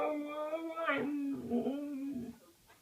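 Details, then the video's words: Zina, a Siberian husky, indoors in a small room, gives a drawn-out tonal howl with rich harmonics, a wavering break near one second, then a steady tone again before it fades out after about two seconds. "Zina the singing, howling, talking, Siberian husky"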